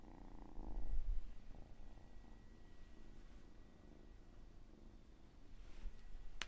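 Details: Cat purring quietly, a soft low rumble that swells briefly near the start, then settles under a faint steady hum.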